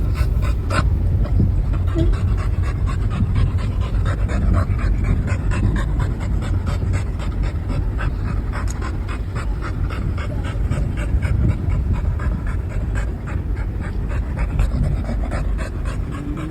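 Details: Fast, rhythmic panting from Mikku, an American Bully who loves travel most of all, on an outing taken for his happiness. The breaths are continuous and loud, with a brief faint whine near the start.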